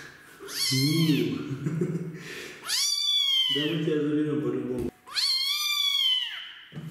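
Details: Street kitten rescued and given its first bath, complaining loudly; three long rising-falling meows alternate with a person's low voice talking between them.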